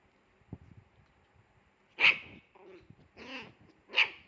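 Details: Fierce Pomeranian puppy barking: two sharp, high barks about two seconds apart, with a wavering, whiny vocalisation between them and a few soft low sounds before the first bark.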